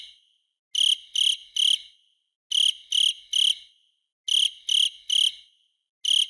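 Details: A cricket sings clean trilled chirps in groups of three, each cluster about half a second long and separated by quiet gaps near a second, in an otherwise silent recording.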